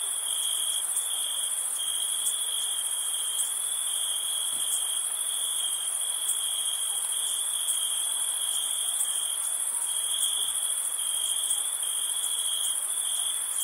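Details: Many crickets chirping through a summer night, a relentless shrill tone with a sparkling higher layer of rapid, faint pulses. Two tiny low knocks are the only other sounds.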